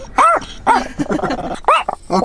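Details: An upset pet dog cries, voicing high arched yelps in quick succession with softer whimpering and low moans between the louder calls.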